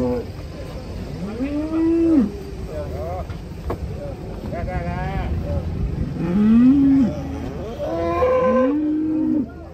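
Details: Several sustained, arching moos from cattle stepping down off a swaying truck in Indonesia, at about two, seven and nine seconds, each low and steady, with people shouting between calls.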